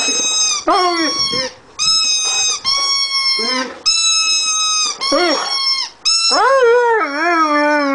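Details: Rhodesian Ridgeback singing on his first birthday, giving a series of high, steady howled notes broken by short pauses, ending with a lower, longer howl that wobbles up and down.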